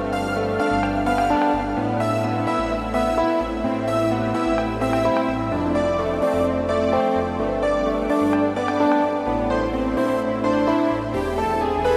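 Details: Gentle new-age background music with sustained tones and a steady low pulse plays throughout, with no animal voice heard.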